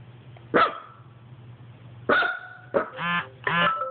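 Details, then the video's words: Dog barking at an Xbox: three sharp, loud barks spaced unevenly over four seconds, followed by two longer tonal, harmonic bursts, over a steady low electrical hum. "Dog barks at xbox"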